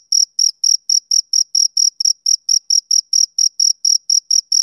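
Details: On a summer evening a male cricket chirps in regular, sharp, high notes, about two each second, with tiny gaps between pulses and nothing else audible.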